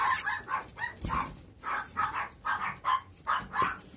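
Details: Young male puppy at a breeder yapping steadily, about nine sharp high-pitched barks spaced roughly every third of a second, fairly clean with little else audible.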